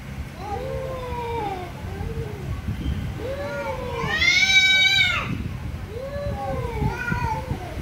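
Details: Several angry cats meowing very loudly: drawn-out, arching wails overlap in quick succession, with one harsher, higher, strained cry in the middle and steady low rumbling noise underneath.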